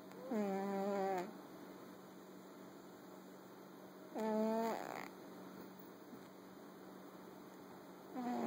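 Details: Fat black cat snoring while asleep: three long, harmonic buzzing snores about every four seconds, each lasting around a second, with quiet breathing between, over a steady electrical hum.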